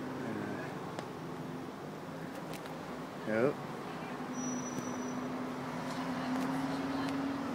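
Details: Friendly cat perched on a person's back after climbing up from the knee, having meowed profusely while being stroked; one short meow sliding steeply downward in pitch, over a steady traffic hum, with brief human speech nearby.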